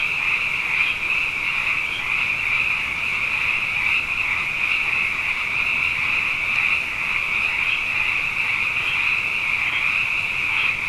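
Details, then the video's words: Night chorus of many frogs, plentiful after two consecutive wet years, forms an unbroken shimmering drone of high trilled calls with faint overlapping pulses and occasional brighter peaks. "Frog Songs: Na Mele o nā Paloka"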